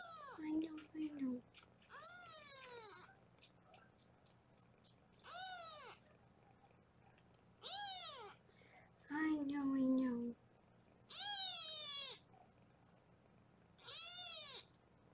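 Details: Kittens in foster care in Los Angeles, weighed indoors on a 24/7 kitten cam, mew repeatedly: shrill, rising-then-falling cries every two to three seconds, about seven in all, with a woman's voice talking twice.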